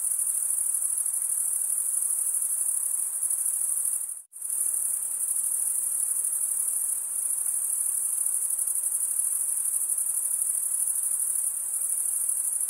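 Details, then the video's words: High, ringing cricket chirps form a steady trill that cuts out abruptly for a split second near the four-second mark, then resumes unchanged. "cricket sound"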